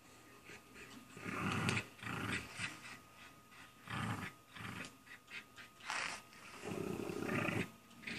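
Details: Ida, a domestic dog set on getting Izzy to play, gives a series of rough growly barks in uneven bursts, with a longer drawn-out growl near the end and low chatter underneath.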